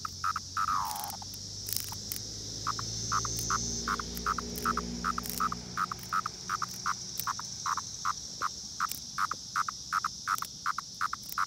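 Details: Periodical cicadas (Brood X) near Princeton Junction, New Jersey fill the air with a steady high hiss over rapid buzzy pulses repeating nearly three times a second.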